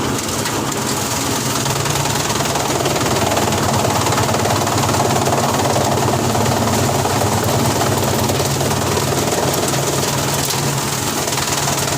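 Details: A loud, continuous engine roar with rattling knocks fills the whole stretch, with no animal sound heard.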